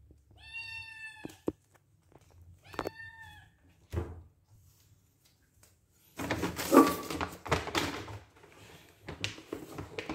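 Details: White kitten Tom Kha meowing for food in a small room: two clear drawn-out meows in the first three seconds, then a thump and rustling, clattering noise of food being handled.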